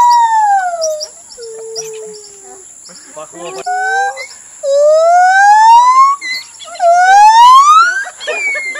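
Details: A captive gibbon at Khao Lak elephant village sings pure, hooting notes that slide down, then swoop upward in rising, accelerating whoops.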